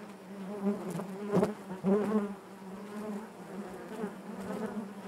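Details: Honey bees humming in their hive, a steady low buzz with two louder swells and a few crackling taps early on.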